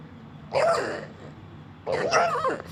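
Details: Female pet dog, Sugar, making noise after being told to be quiet: two short whiny, grumbling vocal bursts with a moaning pitch bend, about a second apart, against a quiet room.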